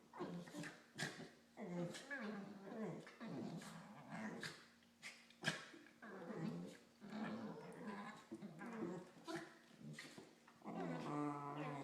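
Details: Two corgis mouthing each other in play, giving strange Wookie-like noises: a chain of harmonic groans, growly warbles and moans, rising and falling in short bursts, with a loud strained howl near the end.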